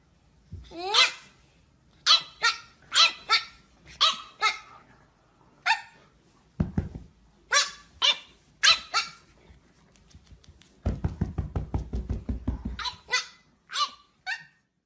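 A pug gives a run of sharp, raspy barks, with a low rumbling growl in between.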